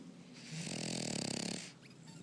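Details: Cheese, a French Bulldog, snores while asleep: one long drawn-in snore, a rapid rattling flutter lasting about a second, then fades into a soft exhale in a quiet room.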